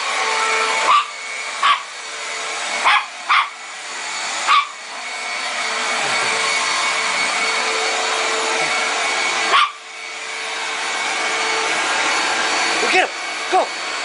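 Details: Pet dog barking because it is scared of a running vacuum cleaner: about eight short, sharp barks scattered over fourteen seconds, some in quick pairs, over the loud constant roar of the vacuum.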